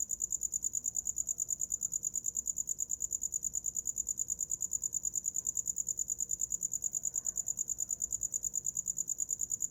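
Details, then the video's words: A cricket's rapid, metronome-like chirps fill the night, a thin high pulse repeating several times a second without pause, offered as a sound for falling asleep; only a low background murmur behind it. "Som de grilo para dormir"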